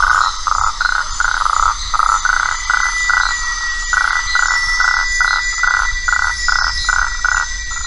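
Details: A frog in the Atlantic forest at Una, Bahia, Brazil, recorded February 2004, gives short, evenly spaced notes about three times a second over a steady insect hum.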